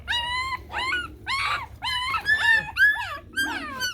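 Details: Fifteen-day-old Chow Chow puppies, eyes newly opened, squirming in the hand; a run of short, wavering whines and yelps, about seven bursts in four seconds, some rising then falling, with a man talking softly between them.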